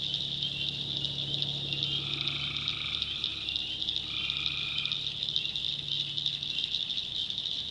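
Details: Night swamp in the backwoods of North Carolina with tree frogs: an unbroken shrill chorus, plus two fainter, buzzy croaks, about a second each, rising out of it midway through, and a low hum beneath.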